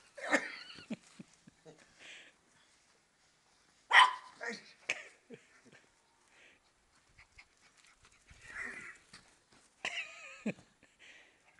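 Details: A female Maltese dog plays one of her favourite games, peering under a car at the feet of the person chasing her; sharp, loud barks burst out among bursts of excited Italian talk and laughter.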